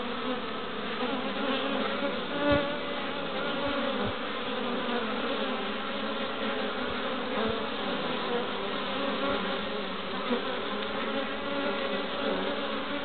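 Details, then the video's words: Busy hive entrance of honey bees (Apis mellifera) in Pembrokeshire, west Wales, on 11 March 2012, foragers arriving with pollen; an unbroken chorus of buzzing wings with scattered soft taps and individual bees whining past. "Honey Bees at the Hive Entrance"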